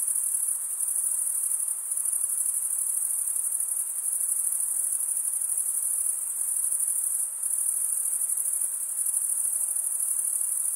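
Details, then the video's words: Crickets, with the males stridulating by rubbing one wing along the toothed vein of the other, produce a steady, very high-pitched continuous trill that barely wavers throughout, with only slight brief dips in loudness and no other sounds standing out. "cricket sound"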